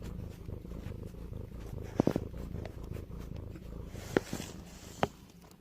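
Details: Domestic cat from a TikTok compilation of funny cat and dog moments, purring steadily: a low, even rumble runs throughout, broken by a few sharp clicks near the middle and end.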